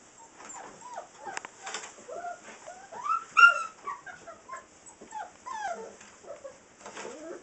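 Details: Six-week-old Saint Bernard puppies, several together, whimpering and whining: high, bending squeals and short yelps overlapping one another almost continuously, some rising then falling, with a loud peak in the middle; faint rustling between calls.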